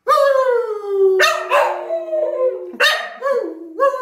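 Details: Digby the dog howls along with his grandad in November 2020: long, smooth, wavering tones that slide slowly downward, broken by sharp yelping onsets around one and three seconds, then a final short rising howl.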